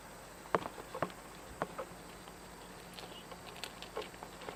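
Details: A cat eating, with crisp crunching clicks about every half second early on, then softer, sparser chewing over a steady low hum.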